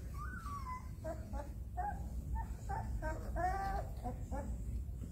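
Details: Whining from Mama Jessy's puppies as the cats Dirk, Geert and Toen wake to the noise; a string of short, bent, squeaky cries, some overlapping, over a low background hum.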